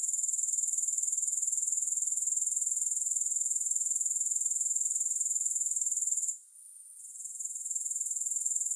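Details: Grasshoppers in a long, music-free relaxation recording: a steady, very high, shimmering insect trill pulsing about four times per second, dipping briefly and quieter for about a second near the end before resuming.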